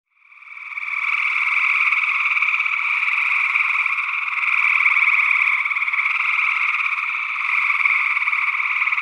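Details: A gray tree frog in Northwest Wisconsin in early June 2022 gives a loud, musical, rapidly pulsed trill without a break; an unidentified second frog species, possibly a spring peeper, also calls.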